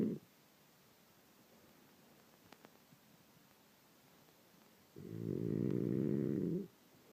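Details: A French Bulldog asleep in the morning: after a quiet stretch with a couple of faint ticks, one long, deep, buzzing snore lasting nearly two seconds.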